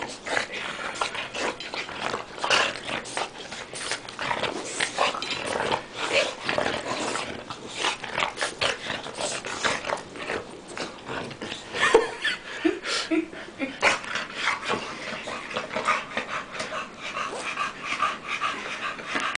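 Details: Tank versus Bofa, two dogs in a play grapple indoors: rough panting, snuffling and scrabbling bursts, broken by brief low growls and a whimpering note midway.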